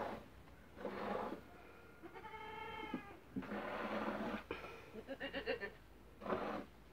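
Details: Dairy goats in their first days of milking, one a heifer named Marcela, give short, wavering harmonic bleats midway and a pulsed, quavering bleat near the end, set among broad noisy rustling bursts.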